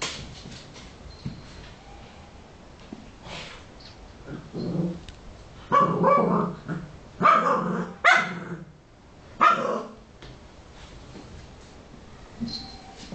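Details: Patrick, a pet Cavalier King Charles Spaniel going after little pieces of a stress ball, lets out several loud, harsh barks and growls spaced a second or two apart, while a person asks questions in Greek.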